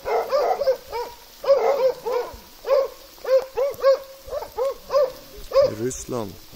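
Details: Plott hound and American foxhound in Russia: repeated arched, ringing barks about once or twice a second, several overlapping, ending with a short rasping, scratchy noise.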